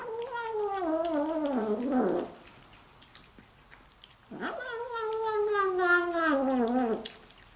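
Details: A female Bengal-mix kitten, excitedly eating her favourite food, gives two long, quavering meows of two to three seconds each. They start fairly high and sag lower, with a brief quiet gap between them.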